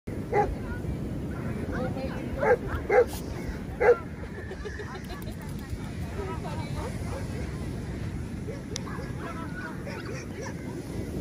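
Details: Golden Retriever in Sri Lanka, from a pair named Bobby and Teena: four short, sharp barks in the first four seconds, two coming close together near the three-second mark, over a steady low rumbling background.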